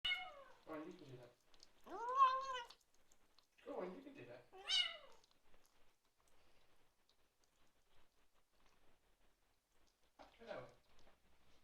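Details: Bengal kitten meowing while eating his dinner indoors, making appreciative noises: a few short harmonic mews in quick succession, then a pause and one softer mew near the end, with a person speaking gently.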